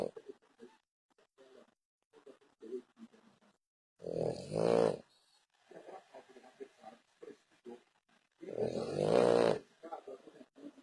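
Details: Heavy snoring from a French Bulldog: two long, loud, raspy snores about four seconds apart, each a buzzing nasal roar, with quieter snuffling and breathy sounds in between.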